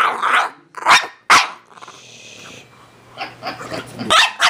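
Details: French Bulldog growling and snapping during a playful attack, lunging at the camera indoors; short harsh noisy bursts and rough snarls come in uneven spurts, with a person talking between them.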